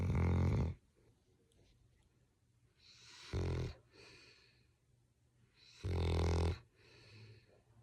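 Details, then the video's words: Coop, a sleeping English Springer Spaniel, snoring loudly indoors: deep rumbling inhalations with harsh raspy tones, three long snores about every three seconds, each followed by a softer airy exhale. "Coop Snoring So Loud, it's Hilarious!"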